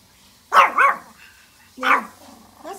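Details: ['Pomeranians barking at deer outdoors: two sharp, high yapping barks about a second apart, then a soft low voice-like murmur and the start of another bark.']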